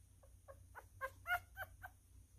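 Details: Newborn male miniature schnauzer feeding messily by hand; seven faint separate squeaks, spaced about a quarter second apart, swelling in the middle and fading again, set against a low electrical hum.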